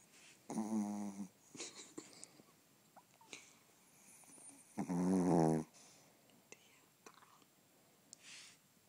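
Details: Pet dog snoring: two loud, low, rattling snores just under a second each, spaced about four seconds apart, with faint soft clicks and rustles between them.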